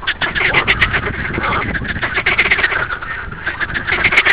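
Green frogs give rapid, rattling croaks, a dense run of quick pulses that sound almost like quacking.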